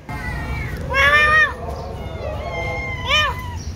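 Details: Domestic cat waiting for a meal of mixed rice, giving three arched, rising-then-falling meows, the middle one softer and the first and last loudest, over a low background hum.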